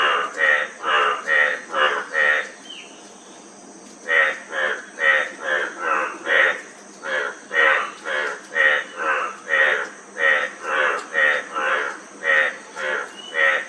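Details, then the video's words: Frog chorus of rapid pulsed croaks, about two per second, pausing briefly early on then resuming in a regular run, with a steady high-pitched hum behind. "Frog Sound--Frog Sound Effect 15 min"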